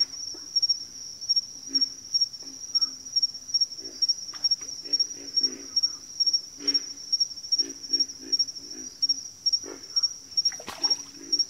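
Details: Chorus of frogs in backwater, deep croaks scattered unevenly and sometimes doubled, set against a constant, evenly pulsed high note, with a sharp brief click-like sound toward the end.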